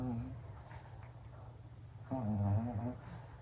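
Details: Sleeping pug snoring like an old man. A short low rattling snore opens the clip, then a quiet pause, then a longer, louder deep snore with a wavering tone indoors.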